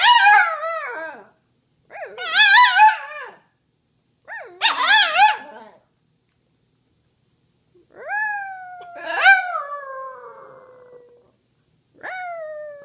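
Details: A Samoyed howls along with its owner in wavering, yodel-like bursts that rise and fall, with pauses between them.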